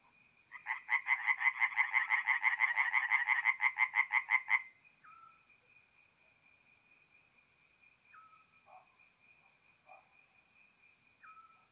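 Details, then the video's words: Tree frogs singing at night at a forest pond in north-east Italy in mid-April: a rapid burst of pulsed croaks for about four seconds, then a thin steady high tone with a few faint, scattered short calls. "relaxing forest pond by night with singing tree frogs"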